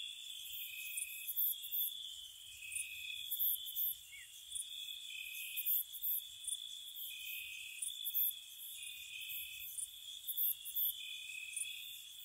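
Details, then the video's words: Night-time spring crickets outside a cottage, a shimmering steady trill with an on-off lower trill and recurring bursts of very high chirps, faint low rumble underneath. "Cricket Sounds"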